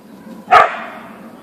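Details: A single sharp, loud bark from a Siberian Husky (Ausky) that has come upon a deer in the backyard, followed by a soft fading echo and low background noise.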